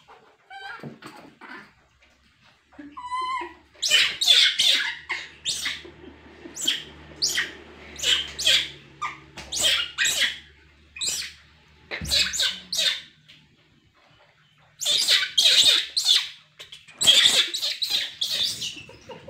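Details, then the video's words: Baby monkey crying and screaming in anger while being scolded by its mother; shrill, harsh bursts of cries come in clusters, with brief pauses between loud outbursts and a low background hum. "monkey child cries and gets angry at being scolded for being naughty"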